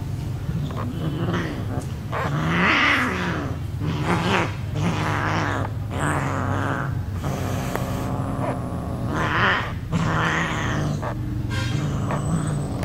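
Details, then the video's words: Domestic cats fighting on a bed: long, wavering caterwauls and growls that swell and fade in drawn-out bursts, some rising to harsh wails, over a steady low hum. "Cat fight on my bed"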